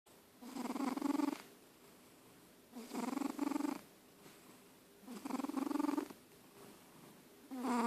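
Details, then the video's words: Old cat named George asleep and snoring, with breathy rasping snores about a second long, repeated roughly every two and a half seconds, separated by quiet pauses. "Snoring George Old Cat"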